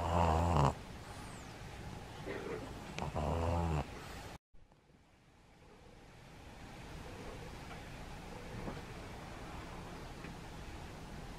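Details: Pug named Maria in Japan, at Meiji Shrine on 10 January 2021: rough, snore-like snorts with a low buzzing tone fill the first four seconds, then only quiet outdoor background remains.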